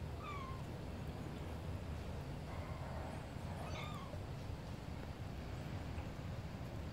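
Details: Tiny kitten, smaller than a calico kitten, giving a few thin high mews, one early and a pair near the middle, over steady low background rumble.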